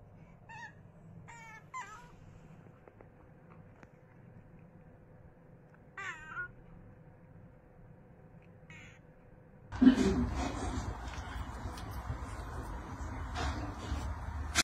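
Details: Cat meowing; several short rising and falling meows with clear stacked tones spread through the first half, over a low steady hum, then loud broad noise takes over from about ten seconds on.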